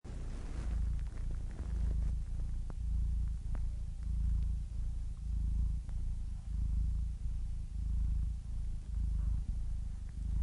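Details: Domestic cat purring steadily, a low rumbling throb in regular bursts about every second, each breath cycle separated by brief pauses; quiet background.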